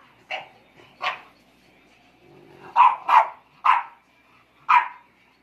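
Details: Four-month-old English Bulldog puppies in a play-fighting 'royal rumble': six short, sharp yapping barks with bright overtones, two spaced about a second apart, then a quicker cluster of four, with a faint low rumble between.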